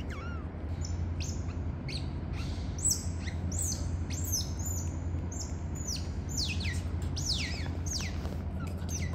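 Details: Captive otter family at Neighbor Otter zoo in Gyeongsan, South Korea. Father Toffee carries the pups to mother Mocha, who takes and nurses them. Rapid high, sharp chirps repeat in quick bursts, many sweeping downward, over a steady low hum.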